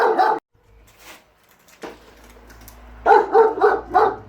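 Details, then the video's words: Rapid bursts of barking, one sharp bark, a pause, then four quick barks about a quarter second apart, as German Shepherd Enzo and Husky Shira argue about the lawn mower. "GSD & Husky Arguing Whether The Lawn Mower Is Evil Or Not"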